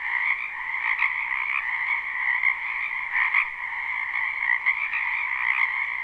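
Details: Numerous frogs in a springtime wetland, recorded live with no looping: a bright, buzzing chorus of trilled croaks, the overall drone swelling and dipping while individual callers break through in short, louder bursts.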